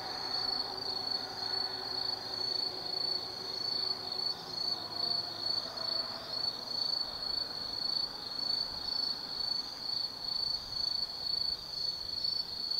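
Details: Autumn night insects in the woods of Tsukimi no Mori, Gifu Prefecture, Japan, overlooking the Nobi Plain lights: unbroken high-pitched trilling with gently wavering loudness, plus a faint low distant rumble, perhaps traffic.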